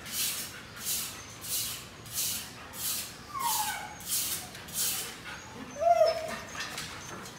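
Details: Siberian Husky puppy of show quality, Melarn Kennel, Philippines: steady, rhythmic breathy bursts about once a second, broken by two short whimpers, one sliding downward midway and a sharper, brighter cry near the end.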